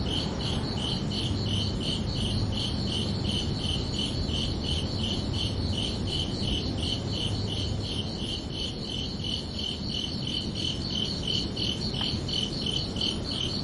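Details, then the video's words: Under a peaceful summer night sky, crickets chirp in a fast continuous string of high pulses, about three a second, over low background hum, with one faint click late on. "Calming Cricket Sounds for Relaxation"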